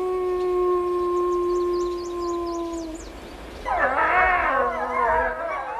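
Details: Arctic wolves howl: one long steady note, then several pack members join in a wavering, overlapping chorus. The howling is a territorial call signalling the pack's size and strength, and a social call that keeps members in contact and warns of danger.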